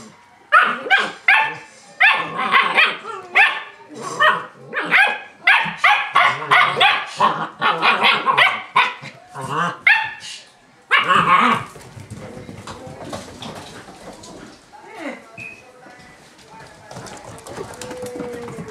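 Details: German Shepherd puppies rough-housing in play give a rapid series of high yapping barks and yips for about ten seconds. Quieter scuffling, soft whines and faint background sounds follow.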